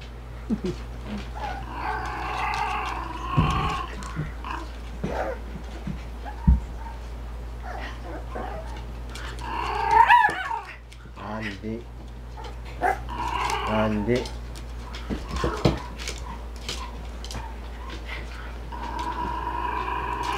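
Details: Young male Shih Tzu x Poodle mix, Shih Tzu mother and Poodle father, filmed 9 February, running around energetically; scattered whining, yipping vocal bursts with harmonic rising-falling tones, loudest near the middle, over a steady low hum.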